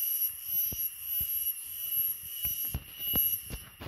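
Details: Small cicada, called rai in Khmer, giving its shrill 'rae rae' cry: a steady, unbroken high-pitched whine with thin whistling overtones above, over scattered low thumps and knocks.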